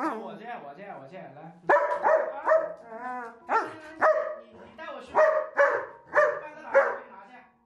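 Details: Annoyed German Shepherd complaining to its owner, who said it was time to eat without bringing food; a woman speaks first, then sharp harmonic barks and whining grumbles come roughly every half second.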